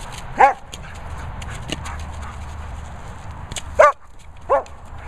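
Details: German Shepherd at play with a boomer ball, letting out three separate clipped barks, one early and two close together near the end, over a low background rumble.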